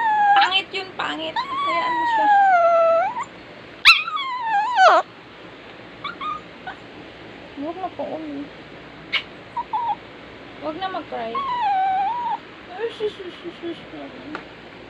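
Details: A crying dog whines and whimpers in drawn-out, wavering cries, loud at first and then in softer broken bursts, with short squeaks and some background noise between them.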